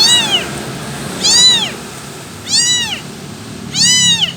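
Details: Abandoned kitten crying for its mother, four shrill meows that climb and fall in pitch, evenly spaced a little over a second apart, over a soft continuous background hum.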